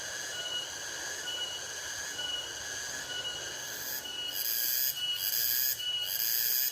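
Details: Nocturnal insects calling at night around a hut in a rice field: layered, steady high-pitched buzzing and shrill trilling bands, some pulsing in short repeated bursts, with louder rasping surges toward the end.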